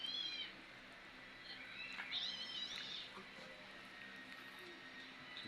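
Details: Domestic cat that loves eating corn, its favorite food; brief high, wavering meow-like calls near the start and middle, with faint chirping in the background and quiet room noise.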